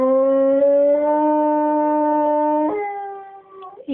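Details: English springer spaniel named Ianto singing when asked by his owner: a long steady tonal howl held for nearly three seconds, then dropping to a lower note that fades, with a brief sound at the end.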